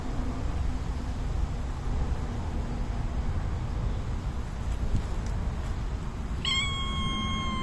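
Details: A young white-and-black domestic cat gives a single clear, drawn-out meow for attention after a quiet stretch, and rolls on the ground.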